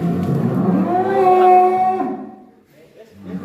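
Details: Huge bull being led out of its pen on a farm after a long time inside; one long, low, steady moo of about two seconds with rich harmonics, then fading to quieter stirring.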